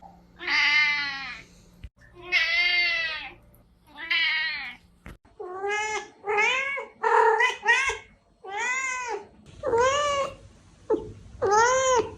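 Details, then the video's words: Series of cat meows meant to attract a hiding cat: three long, wavering meows over a low hum, then a rapid string of shorter arched meows of differing pitch, roughly one per second. "Meows to ATTRACT Cats (Meow Sounds to Attract Cats). Cats Meowing Sound Effects. Kitten Sounds"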